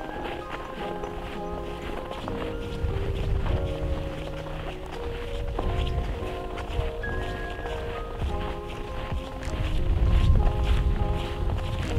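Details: Steady instrumental music with soft rustling footsteps beneath it, and no animal voice heard.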